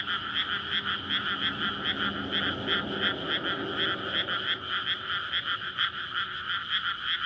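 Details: Courting frogs in a flooded May rice field at night, with a road nearby; a thick pulsing croak chorus runs throughout, while a low engine-like rumble underlies the first half.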